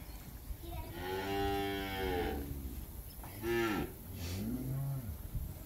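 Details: Campeche, Mexico, 20 August 2022, calves: a sustained harmonic moo about a second long, then two shorter dipping moos, over a steady hiss of background noise.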